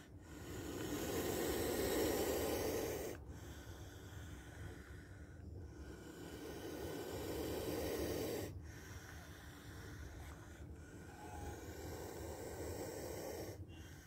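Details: Spectacled cobra producing three drawn-out, airy hisses, each lasting about two to three seconds and separated by short pauses, against a low steady hum.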